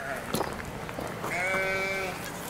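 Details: Lamb on a peasant farm with emus, goat kids and other lambs, fed fresh grass; a brief human voice and clatter, then a sustained, steady bleat lasting nearly a second.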